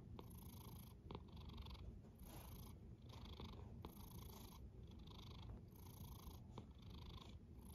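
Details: Snoring cat heard close: a rich low rumble with louder hissing breaths cycling about every 1.3 seconds, slow and even, with a couple of faint clicks.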